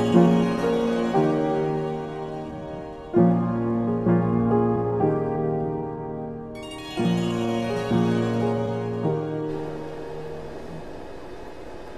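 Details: Keyboard music like a harpsichord or piano, playing plucked chords in phrases that fade and restart, with no snoring audible.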